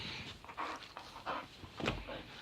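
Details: Riley, a ravenous young dog chewing on fingers during sit commands, breathes in quick rough huffs, a string of breathy panting puffs with one sharper exhale near the end.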